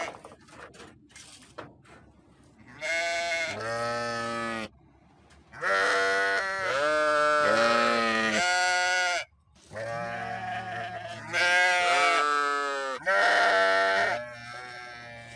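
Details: Sheep bleats come in a nearly continuous run of long, wavering, harmonic cries after a few seconds of soft clicks and rustling at the start.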